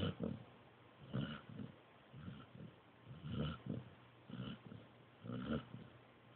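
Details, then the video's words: Sleeping Pointer pup Joby snoring softly: low, muffled breathy snorts about once a second, fainter and deeper than full snores, with nothing else heard. "Snoring Pointer Pup"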